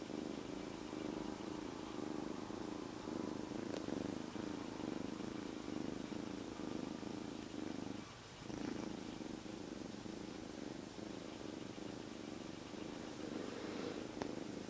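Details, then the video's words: Rescued kitten, a stray until three days earlier, sits quietly inside an owner's jacket and purrs: a steady low rumbling drone that barely pauses, with faint rustling of fabric and a brief dip around the middle. "3日前まで野良だった子猫～ゴロゴロが止まりません Rescued Kitten Keeps Purring"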